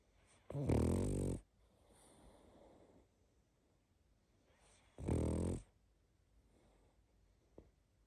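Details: Sleeping pug snoring and snuffling: two loud broad rasping snores, near 0.6 and 5 seconds, each under a second long, with soft wheezy breathing between them in a quiet room.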